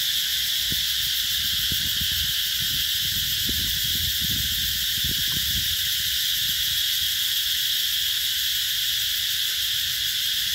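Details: Summer cicada chorus recorded in 2021 at Mỹ Luông eco-tourism site, Chợ Mới, An Giang, Vietnam's Mekong Delta. A continuous shrill, hissing buzz fills the whole stretch, with soft low thumps and knocks underneath.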